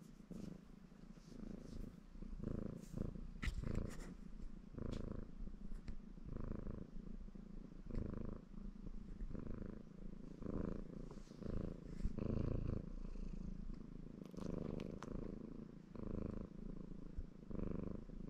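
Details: Ginger Maine Coon tomcat named Baron purring in a happy mood as he grooms himself; a deep continuous purr pulsing with each breath, broken by sharp licking and rustling clicks from the washing.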